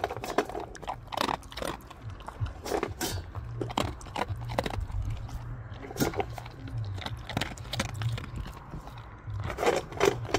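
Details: Gorlock The Destroyer, a pet dog, eating and playing: dense crunching and biting clicks over a steady low grunting hum, with louder bursts of chewing near the start and end.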